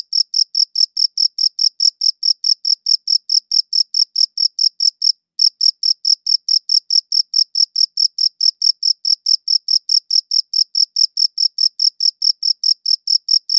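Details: High-pitched cricket chirps recorded with a good audio recorder repeat quickly and regularly, a brief silent break of a fraction of a second interrupting the run around midway, then the steady pulsing resumes.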